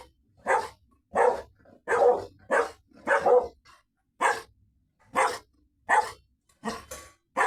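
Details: Labrador or Golden Retriever dog barking persistently inside a small room. Around eleven loud, gruff barks come at a brisk, fairly even pace of roughly one every three quarters of a second, with no other sounds.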